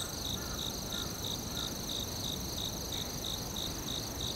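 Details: Forest crickets keep up a brisk, regular chirp about three times a second. Fainter, lower chirps from another caller appear early on, and a steady piercing trill holds above everything.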